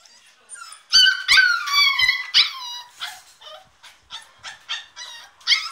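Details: Diablo, a Staffordshire Bull Terrier puppy, protests confinement in his crate with a rapid string of shrill, harmonic screams and yelps, loud at first, then shorter whining cries repeated roughly every half second.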